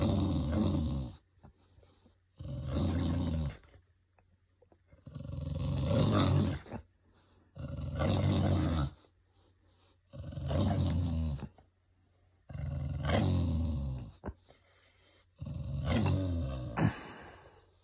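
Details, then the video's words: Winston, a pet English bulldog, growls deeply like a V8 engine during rough play, a big softy; low rumbling growls come in about six long bursts with short quiet gaps between them. "My Bulldog Growls like a V8 Mustang"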